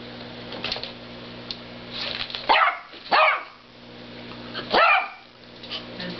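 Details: Single dog barking at a snoring cow: three clear, harsh barks at about two and a half, three and five seconds, separated by quiet gaps with faint hum.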